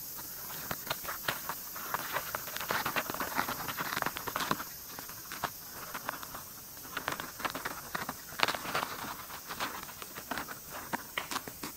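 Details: Mating white-spotted longhorn beetles recorded up close: dense irregular dry ticks and scratchy clicks crackle throughout, some sharper taps standing out over a steady faint hiss.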